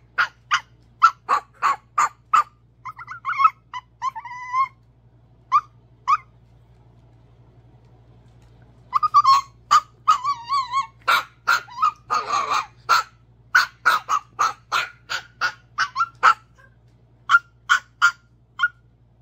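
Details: A tiny Chihuahua, too small to play with the bigger dogs, gives rapid, high yips broken by thin, rising whines.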